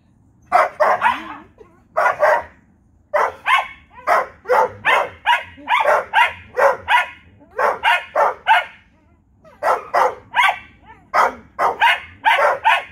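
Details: Vizsla and Corgi bark back and forth during a nightly exchange; dense runs of sharp, evenly spaced barks, roughly two or three per second, broken by brief gaps, with a faint whine near the start.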